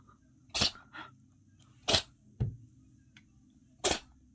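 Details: Dust in its nose sets a cat sneezing in a human-like way: three abrupt, explosive bursts spaced more than a second apart, each followed by a short faint sniff, over a quiet indoor background.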